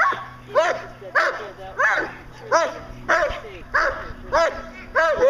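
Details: Fourteen-month-old German Shepherd Dog in Schutzhund protection work barks steadily, eight forceful arched barks spaced roughly every two-thirds of a second, each rising then falling, with faint low hum underneath.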